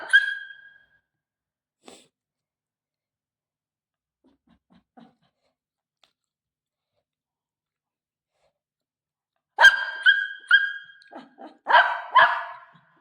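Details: Pet Shih Tzu indoors, meeting the owner's mother: a high whine-like yelp at the start, a long quiet stretch, then a quick series of sharp, ringing barks near the end.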